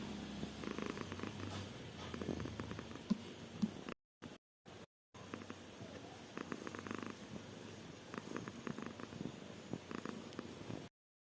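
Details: Domestic cat purring while yawning: a low, rhythmic rumbling purr with rapid pulses, broken by several brief silent gaps near the middle and cut off at the end, with light rustling and clicks.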